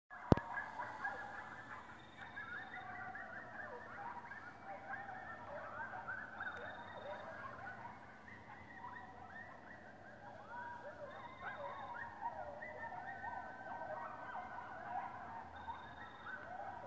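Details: Coyotes in Chester, New Jersey, calling together in a long chorus of wavering, overlapping howls and yips that rise and fall continuously, with faint thin high whistled tones at times.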